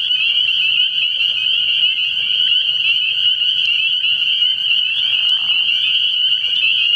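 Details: Night chorus of many spring peepers at a frog pond in early spring, their piercing high peeps overlapping into one continuous shrill ringing, steady throughout, with a soft low rumble underneath.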